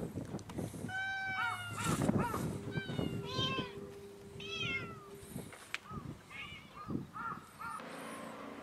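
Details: Japan's Cat Island: cats crying out in overlapping, rising and falling meows, some long and wavering and others short and clipped, with a low steady drone beneath.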